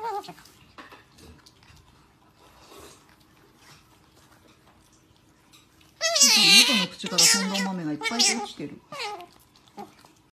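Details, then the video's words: Nutria asking for food, giving a burst of loud, harsh, wavering cries with rising and falling pitch, several in quick succession after a quiet stretch with faint background sounds. "Nutria Pide De Comer"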